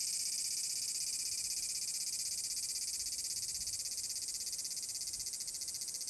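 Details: Large brown cicada singing on 30 July 2022 by the Magarikawa river at Furuta, Nishinoomote, Tanegashima, Japan, in summer: a loud, steady, sizzling high buzz made of rapid regular pulses, continuous throughout without a break.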